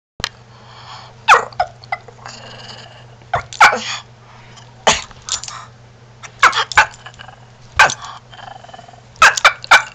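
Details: A 4-year-old Shih Tzu that never mastered barking gives odd, sneezy, snorting barks in short bursts over a steady low hum; some say he sounds like a chicken, turkey or rooster.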